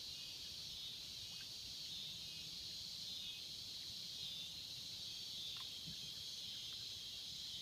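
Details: A loud unbroken cicada chorus in the swamps, a bright high buzz with a faint pulsing texture and occasional soft chirps below it.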